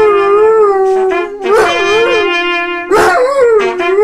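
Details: Doberman. A Doberman lets out drawn-out, wavering howls that swell and dip in pitch. A trumpet holds a sustained note underneath, and people cheer briefly.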